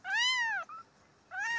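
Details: Stray kittens in a street rescue, one of four being cared for and cleaned: two loud, clear arching meows, rising then falling, separated by a short pause with a brief faint squeak between them.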